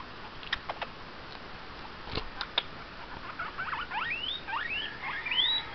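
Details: Pet guinea pig making noise at home: after scattered clicks and taps, a run of quick rising squeaks starts midway and climbs toward the end, some bending upward into high whistled notes.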